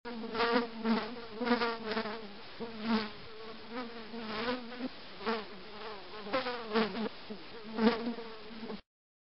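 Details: Continuous droning buzz of a housefly, its low hum wobbling up and down in pitch and rising in brief louder surges several times across the recording.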